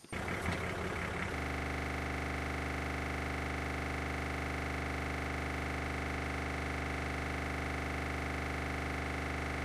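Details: Steady droning hum of an idling vehicle engine throughout, after a brief rattling start, with no animal voice.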